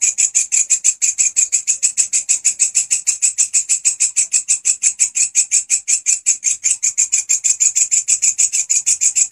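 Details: Grasshopper (walang kecek), loud and actively singing, used as a master sound for training songbirds such as canaries: a steady train of dry, rasping pulses, about six per second, bright and high, with no other clear sounds.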